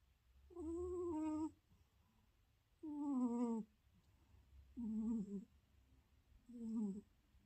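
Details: A sleeping cat snores with four drawn-out, tonal, moaning breaths, each about a second long and spaced roughly two seconds apart, in a quiet room.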